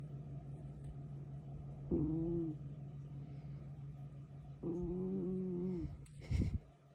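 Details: A young kitten sleeping and snoring, with two drawn-out, rough, nasal breaths at about two and five seconds over a steady low hum, then a short sharp noise near the end.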